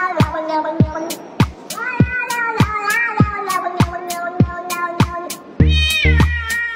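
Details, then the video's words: House cat making echoed meows into a microphone, several drawn, wavering cries that blur into one another, set against loud rhythmic music with sharp beats and a deep bass note near the end. "Cat releasing echoed sound"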